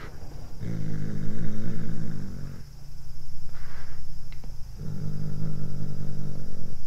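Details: Low, steady cat growls while the cat eats corn for its first time. Two long rumbling bouts of about two seconds each frame a quieter stretch, with one brief click between them.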